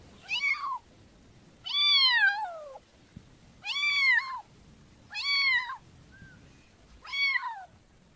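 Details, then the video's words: Five clear kitten meows spaced a little over a second apart, each rising then falling, one long drawn-out cry sliding downward, with a faint soft chirp between calls. "Cutie Pie Kitten Realistic Meowing Sounds"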